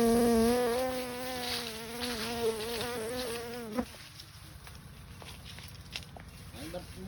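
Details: Honey bee buzzing close by while wild honey is being collected: a low, steady drone that wavers slightly in pitch for about four seconds, then fades into background noise with faint human sounds.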